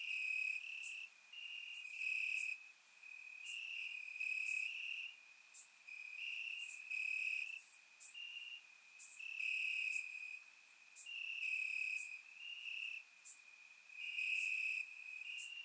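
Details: Crickets in the grass, warm summer night, Bulgaria: an unbroken high trill underlies rhythmic louder chirp bursts repeating about once a second, with scattered sharp high clicks; surround microphone.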